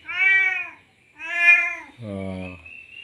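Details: Male domestic cat in heat, having just mated, calling to a female: two loud, drawn-out harmonic meows about a second apart, each rising then falling, followed by a lower, buzzier sound and a faint whining tone.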